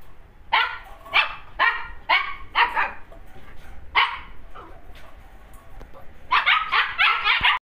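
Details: Siberian Husky pair offered for sale in Gurgaon, India: bursts of sharp, yipping barks, five in the first three seconds, a lone bark near four seconds, then a fast excited cluster of barks at the end, in a quiet room.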